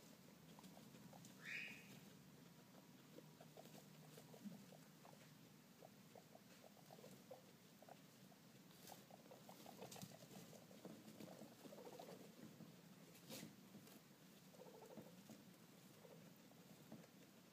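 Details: A guinea pig baby one hour old, cuddling with its mother, gives soft, quick squeaks and faint ticking chirps, with one brief rising squeal early on.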